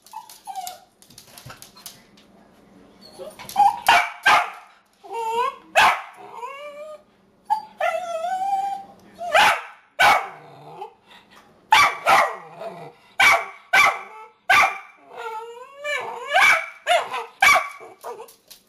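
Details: A 10-month-old puppy named Tipsy barks repeatedly at the camera, irritated about her food sitting on the counter; sharp yappy barks mixed with short whining yips come in quick irregular bursts, about a dozen across the recording.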